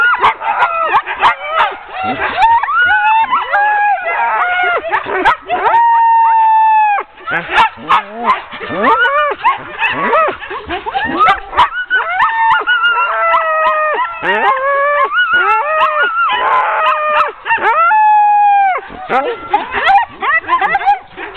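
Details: Ten sled dogs being hooked up as a team for a training run, 16 October 2010: a dense, continuous chorus of overlapping yelps, yips and high whining barks, some drawn out and falling in pitch, with brief gaps near six and seventeen seconds.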